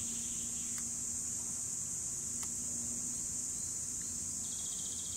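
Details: Cicadas in 2017 singing in a continuous, shrill, high-pitched drone that never pauses, with a steady low hum beneath and a couple of faint clicks.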